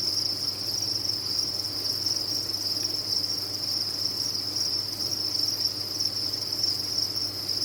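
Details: Steady shrill chorus of many crickets on a cricket farm, the high trill running evenly from start to end over a faint low-frequency hum.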